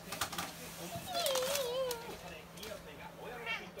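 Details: Maro, a 13-year-old male American Shorthair cat at the family home, practising sitting on command: one drawn-out, wavering meow that dips and rises over nearly a second. Scattered clicks, tapping and faint background voices surround it.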